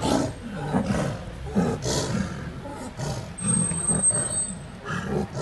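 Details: In Ranthambore National Park, Rajasthan, India, two 17-month-old wild Bengal tigresses fight over territory; quieter, deeper rumbling growls and throaty snarls come in uneven bursts, with a faint thin high whine partway through.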